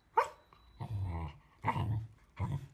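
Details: Samoyed that is fond of a lemon, giving low, rough, grumbling barks in four short bursts within under three seconds; the first is a sharp, abrupt burst and the later ones are longer and growly.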